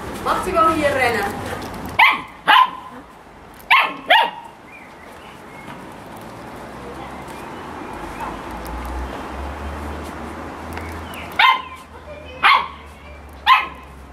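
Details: Samoyed dog barking during playtime: a voice speaks at the start, then sharp, short barks come in quick pairs around two and four seconds and again near the end, over a low steady hum.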